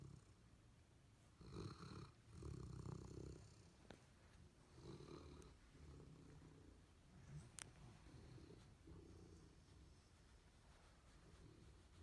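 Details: Two sleeping, dreaming pet dogs, the Golden Retriever Abundant Joy and the Labrador Retriever Tupelo Honey, give deep rasping snores indoors. The strongest bursts come early, then softer, uneven breathing follows.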